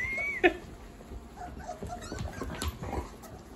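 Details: Puppies playing with their mother indoors: a thin high whine slides up then drops, followed by a short sharp yelp and scattered soft scuffling and small squeaks as the litter tumbles about.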